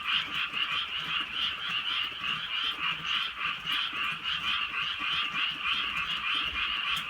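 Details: Night chorus of frogs in the rainy countryside, a rich, buzzing croak that swells and fades in uneven waves about every half second, light rain ticking in the background.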